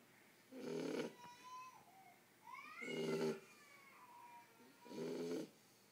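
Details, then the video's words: Marley, a sleeping Shar Pei puppy ten weeks old, snores in three rough, buzzy bursts, with faint thin whistling breaths between them. "Marley the shar pei snoring"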